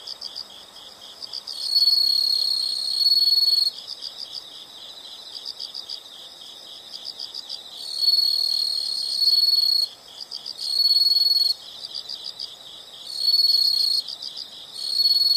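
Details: Nature sound of insects: unbroken high-pitched pulsed chirping, punctuated by repeated louder trills lasting one to two seconds, arriving in irregular bursts across the recording.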